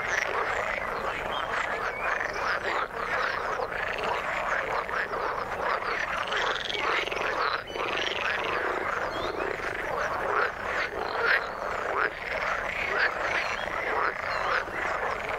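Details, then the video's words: Frog chorus from the water: many callers overlapping in continuous rattling croaks, with occasional brief higher whistled notes rising out of the dense, constant din. "Frog sound in the water"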